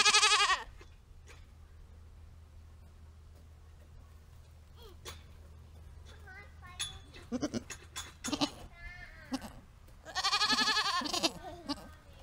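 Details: Backyard Nigerian Dwarf goats, two does, in summer: a loud quavering bleat opens, quiet pause with clicks and rustles, then several short cries and a long vibrating bleat near the end.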